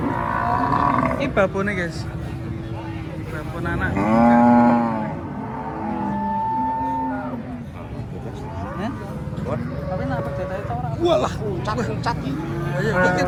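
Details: Cattle off the first truck at a noisy Indonesian yard: a loud, rich moo rises mid-way, followed by several shorter lowing calls, with men talking and engine noise underneath.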